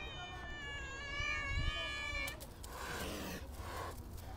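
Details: Stray cats being fed outdoors: one long, steady, high meow with a rich stack of harmonics holds for about two seconds, followed by fainter, rougher mewing and background noise.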